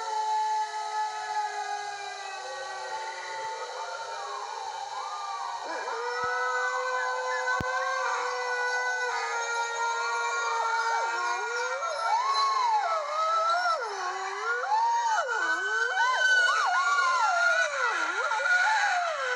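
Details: Several red wolves give a sunset howl together, long sliding tones rising and falling and overlapping in a wavering chorus.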